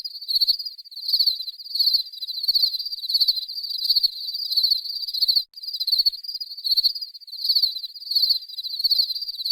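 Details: Ringing cricket song, high and rapidly pulsed, arriving in loud repeated bursts about one and a half per second, with a short break midway and no other sounds.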